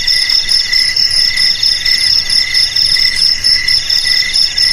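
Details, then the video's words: Shrill cricket chirping, used to keep rats away: bright, metallic pulsed trills repeating about once a second in bursts, several insects overlapping into a continuous ringing chorus. "Suara JANGKRIK Pengusir TIKUS"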